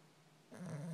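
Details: Sleeping puppy snoring indoors: quiet at first, then a low, droning, raspy breath sound rising in the second half, steady and rumbling.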